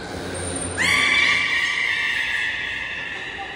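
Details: Belugas in an all-animal training session at Port of Nagoya Public Aquarium, 16 November 2024. A sudden, loud whistle swoops upward, then holds a steady, rich, harmonic tone for nearly three seconds, with faint visitor chatter behind.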